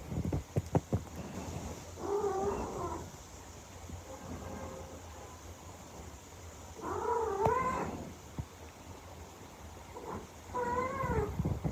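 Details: Pet silver shaded cat, a British Shorthair colour, heard as it makes an entrance, giving three drawn-out, wavering meows at about 2, 7 and 11 seconds, each bending up and down in pitch, with faint clicks and low room noise between them.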